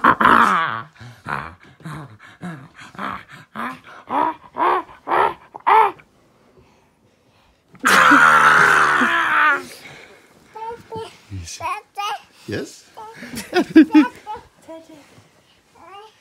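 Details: Millie, a pet husky indoors, trying to comfort a crying baby boy named Parker; a run of short vocal bursts, then a long loud harsh sound around eight seconds, followed by softer broken yips and voices.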